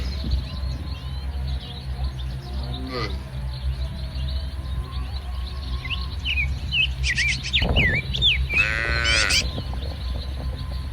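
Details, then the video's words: Tame cattle herd grazing together in a muddy, ripening rice field on a sunny morning; a faint moo early, then two loud, wavering harmonic moos in quick succession near the end, over steady low noise and chirping birds. "Suara Sapi Moo"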